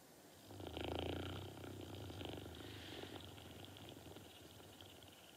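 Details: Norton, a pet dog, sleeping: a low, raspy snore rattles with fast regular pulses for about two seconds, then fades into soft breathing in a quiet room.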